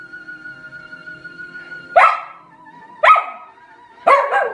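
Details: Scottish Terrier joining in with opera: a steady held tone, then three sharp, harsh bark-like yowls about one second apart, each trailing into a brief wavering note.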